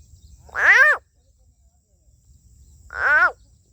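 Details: A large green frog caught during a fishing trip, soon to be released, gives two loud nasal squawks about two seconds apart, each rising then falling with rich harmonics, over a low rumbling background.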